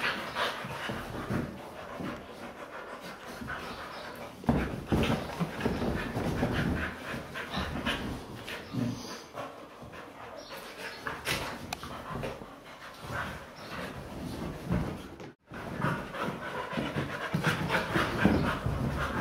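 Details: Several pet Siberian Huskies playing on a couch: steady rapid panting and rustling scuffles of play throughout, with a brief quiet gap near the end.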